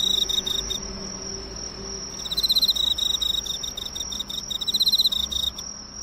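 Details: Emma field cricket drawn to the light of a nearby drugstore, observed close up: a short pulsed burst, then a long bright chirping trill of rapid ticking pulses for over three seconds, with a steady high-pitched whine behind.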